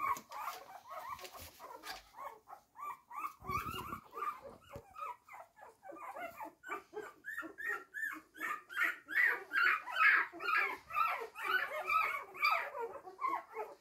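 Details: Hungry blue roan Cocker Spaniel puppies, one week old, whimper and squeal in a constant, overlapping chorus while begging for food.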